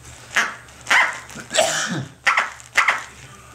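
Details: Corgi puppy Tic-tac, aged six to seven weeks, playing with her duck toy: five high yapping barks, irregularly spaced, one mixed with a squeaky rustle, over a faint electrical hum.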